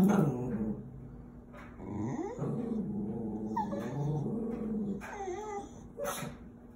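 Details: A female half-Chihuahua, half-Terrier dog barking at squirrels gives excited, whiny yips and growly, sliding vocalizations mixed with a few sharp barks.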